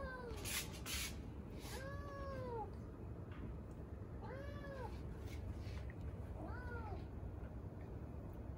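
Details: Male Domestic Shorthair kitten, three months old, yellow with a short tail, awaiting adoption in Bandar Rimbayu, Selangor, mews four times: clear arched calls that rise then fall, spaced a second or two apart, with a low background hum and light clicks.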